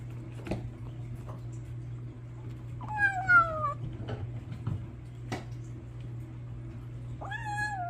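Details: Eating Bengal kitten gives two whiny, downward-sliding meowing calls, the first sharply descending, the second starting near the end, with scattered chewing clicks and a steady low electrical hum.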